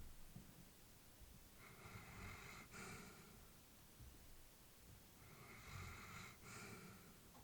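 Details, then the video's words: Sleeping elderly female Labrador indoors, two slow wheezy breath cycles a few seconds apart, each with a breathy hiss and low snuffling rumble, quiet room hum beneath. "Elderly dog sleeping with breathing sounds"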